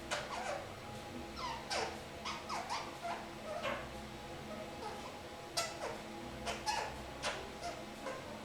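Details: Three-month-old kakariki kept as a pet, perched in a shower room, makes a busy string of sharp downward-sweeping squeaks and chatter, some paired, some single, spaced unevenly over several seconds.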